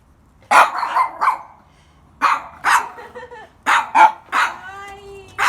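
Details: Many Mame Shiba puppies at a place in Kumamoto, Japan, give short, sharp, high yapping barks in three quick bursts of two or three, ending in a thin drawn-out whine.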